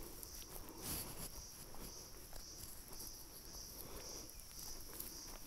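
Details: Cicadas on a tree among deodar cedars at about 2000 m, at Manila Forest Rest House in Almora District, Uttarakhand, keep up a steady, high, shimmering, gently pulsing buzz, with footsteps crunching below.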